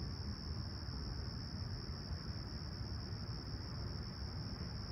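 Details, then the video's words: Crickets calling on a serene summer Toronto morning at Humber Bay Shores, 28 July 2020, 20ºC; a continuous thin high-pitched trill with no pauses, over loud low-frequency traffic hum. "Serene Summer Toronto Morning With Chirping Crickets"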